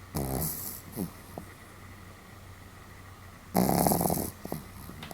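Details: Sam, a Pomeranian, snoring somewhat loudly on 31 July 2015: two rough, rasping snore breaths about three seconds apart, each lasting under a second, over a steady low electrical hum.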